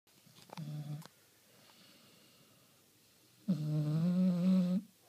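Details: A pet dog snoring: a short low buzzy snore near the start, then after a pause a longer, louder droning snore with stacked harmonics lasting over a second, in a quiet room.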